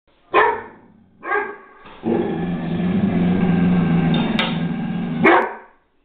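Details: Great Dane, upset at a new object, aluminium foil placed on the floor: two short harsh barks, then a long sustained low growl of about three seconds, ending in another loud bark.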